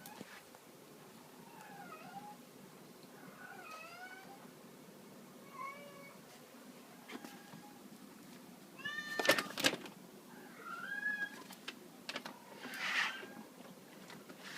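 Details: Two female cats at an animal shelter, an American Shorthair and a black-and-white bicolor, playing with a feather teaser wand; several soft, wavering meows rise and fall, followed by louder rattling bursts near the end of play.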